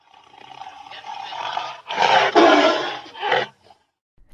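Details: Tiger roaring: a building growl that swells into a loud, harsh, broad roar, then a shorter final burst and silence.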